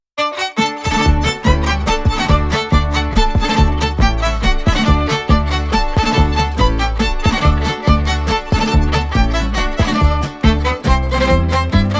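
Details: Lively bowed violin music with rhythmic plucked strings and deep bass beats throughout, no animal voice present.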